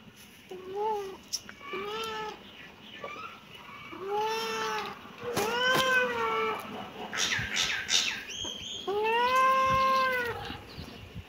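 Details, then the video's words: Kitten meowing repeatedly, a series of short rising-falling mews with bright harmonics, growing longer and louder toward the end, several in quick succession over about eleven seconds. "Kitten meowing"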